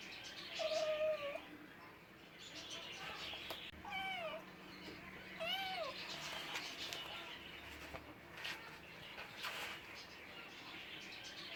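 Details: Domestic cats meowing: a short flat mew, then a pair of rising-and-falling harmonic meows around the middle, with faint scattered rustles and soft background noise.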